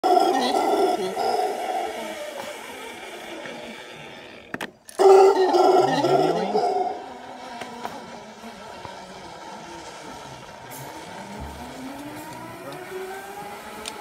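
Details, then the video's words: Wild howler monkeys in the Costa Rica jungle, heard while zip lining on vacation: deep, rough roaring howls that swell and fade, then a second loud burst of roaring before the calls drop to a distant, rumbling background. "Howler monkeys screaming! Monos gritando!"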